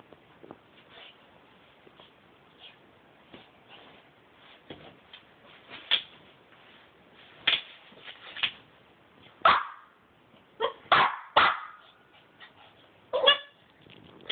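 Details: Aldy the dog, playing with a box, gives scattered short sharp barks and yips, sparse at first, then a denser burst of several louder barks in the second half, over faint room noise.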